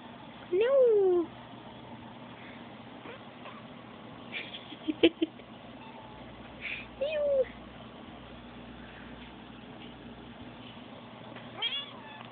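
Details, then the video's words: A baby kitten gives short, thin squeaks that slide downward in pitch. One comes near the start and a quieter one follows a few seconds later, among soft rustling and faint household noise. "Baby kitty squeaks oh so cute"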